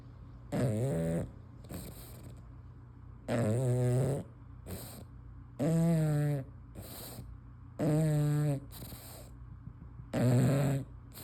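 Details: Loud, throaty snores from a sleeping female English Bulldog with her tongue hanging out come in steady waves, each a rough, vibrating rumble under a second, one every two seconds or so, with softer wheezy breaths between.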